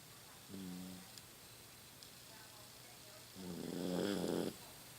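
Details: Rocky, a 15-year-old Toy Poodle, snores while sleeping at home. His snoring has grown louder with age. A short harmonic snort is followed a few seconds later by a longer, louder, rasping snore. The room is otherwise quiet.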